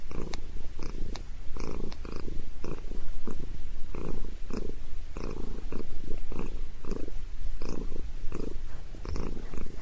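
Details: Sabrina, a pet cat enjoying a head massage, purrs continuously with a low rattling rumble that swells and fades in quick regular beats, some faint clicks alongside.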